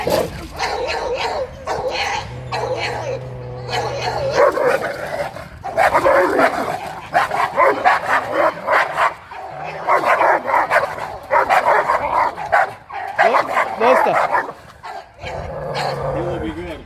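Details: A two-year-old Dogo Argentino and a four-year-old pit bull meeting without a fight: dense, rapid, overlapping barking and snarling runs almost throughout, broken by brief pauses, with people's voices mixed in.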